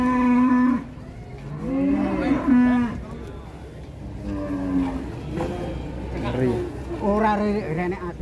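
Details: {'caption': 'Large cattle having its nose rope changed, the rope snapping in the struggle: a steady harmonic low moo at the start, then several shorter wavering moos, overlapped by men talking in Javanese and background hum.'}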